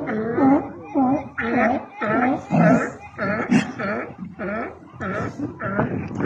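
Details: Sea lions on Isla Alcatraz in Bahía de Kino, Sonora, Mexico: a string of loud, harmonic, slightly wavering barks, about ten in six seconds, each short and rough with a pause between, and faint background noise.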